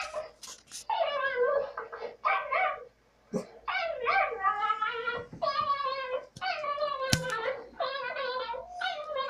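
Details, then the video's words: Dog making long, wavering, high-pitched whines and yelps, almost continuous with a short pause, plus a few sharp clicks. "shorty barking hearing dog bark"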